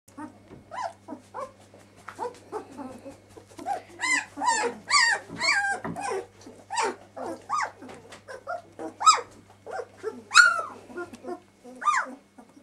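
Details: Several 12-day-old puppies whimper and squeal indoors, a dense run of short rising-falling cries, some sharp and high, overlapping one another, with a steady low hum underneath.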